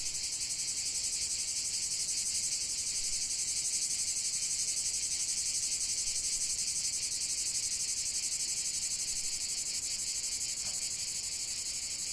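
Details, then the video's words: Continuous cicada chorus from a long nature relaxation recording: a loud, even, high-pitched hiss-like buzz with rapid fine pulsing, holding steady for the whole stretch. "45 min de chant des cigales"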